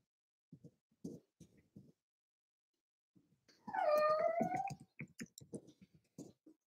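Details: Cavalier King Charles Spaniel puppies playing in an indoor home puppy pen: soft knocks and scuffles, then one drawn-out, falling whine of about a second, followed by more light tapping and shuffling.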